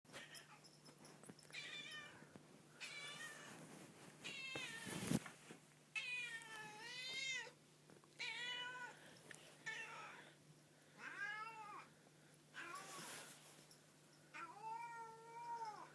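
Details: A pet cat giving unusual meows, a series of harmonic, arching calls roughly every one to two seconds, some rising then falling, with a faint steady hum underneath.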